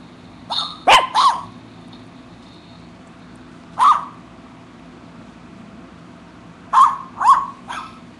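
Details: Pet poodle, a female aged eight, barking as she chews on imaginary gum: high yapping barks in small groups of two or three, spaced by a few seconds of near silence.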